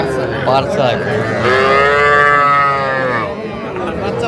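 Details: A young Sahiwal calf in Gazipur, among small bull and heifer calves traded on 7 January 2025. One short bleat, then a steady, harmonic moo lasting nearly two seconds, with men talking in the background.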